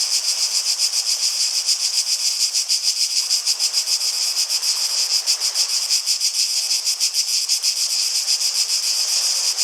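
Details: Cicadas sing in a constant shrill hiss that swells and dips in quick regular pulses, a little over three a second, with no other sounds.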